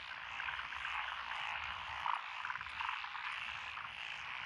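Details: Lotus rice paddies in Echizen, Fukui, Japan, June 12 2021: a mixed chorus of Japanese tree frogs, pond frogs, wrinkled frogs and green tree frogs forms a steady rasping drone, a few louder croaks standing out near two seconds.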